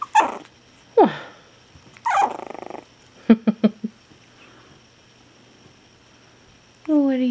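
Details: Gordon, a six-week-old Chihuahua puppy, gives several short squeaky yelps and whimpers, then a quick run of tiny yips, while a woman's voice coos over him.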